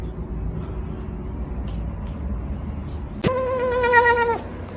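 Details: A single domestic cat meows once, a clear drawn-out tonal note lasting about a second that holds level and then drops away. It follows a stretch of low indoor background hum with no other calls.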